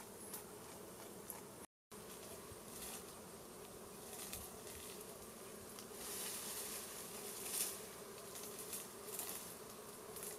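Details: Honey bees at a wild hive in a plant, driven out with smoke from a small fire for a honey harvest: a steady low droning hum throughout, with brief crackling and rustling bursts and a short gap of silence early on.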